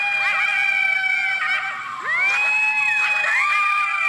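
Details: Coyotes in a chorus of overlapping, wavering high howls. Sliding yips and swoops rise and fall around steady held tones, with several voices calling at once throughout.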